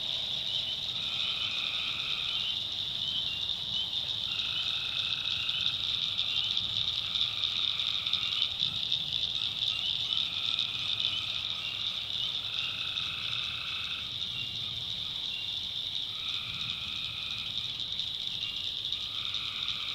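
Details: Tree frogs at night, North Carolina backwoods swamp: repeated twangy calls, each roughly one to two seconds, from a few frogs answering one another, beneath a steady shrill whine.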